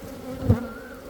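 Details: A Western honey bee (Apis mellifera), labelled Khmer, gives a steady low buzz, with a brief louder thump in the middle.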